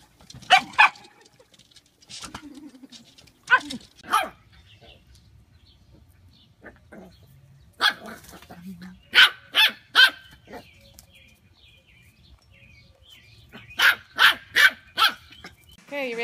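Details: Corgi barking indoors: short, sharp barks in scattered bursts, with a pair near the start, single barks around the fourth second, a quick run of three near the tenth, and four rapid barks near the end over a faint low hum.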